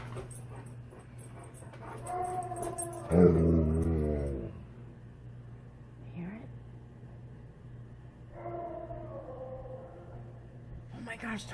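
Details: Indoors, an Alaskan Malamute named Tonka reacts to a Tennessee Bigfoot recording with one loud, wavering, harmonic howl lasting about a second, then softer whining tones later, over a constant low hum and faint background noise.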